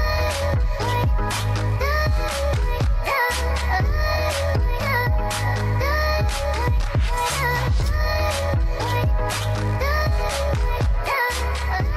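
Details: Electronic music with a heavy bass beat and sung vocal phrases, with no animal calls.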